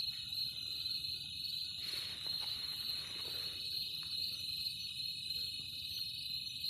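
A cricket gives a steady, high-pitched trill that runs unbroken from start to finish.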